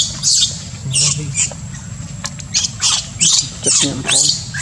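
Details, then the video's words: Baby monkey, whose heart aches for warm milk, giving high, shrill squeals in short bursts, about two per second, with a faint low rumble underneath. "Little monkey’s heart aches for warm milk love"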